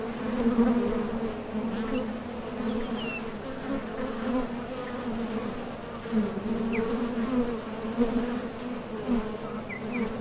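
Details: Western honey bees buzz at the entrance of a top bar hive as foragers leave for and return from nectar gathering, a steady low drone swelling and fading slightly as many wings hum together.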